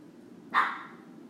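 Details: Single short bark from a puppy in the background of a lecture indoors, one sharp burst lasting about a quarter second, sitting behind the speaker's voice in a quiet room.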